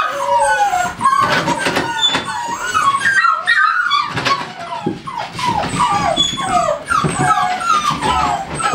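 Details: Several American Staffordshire Terriers at a kennel whimper and cry. A steady stream of high, falling whines and thin squeals overlaps, with faint handling noises underneath.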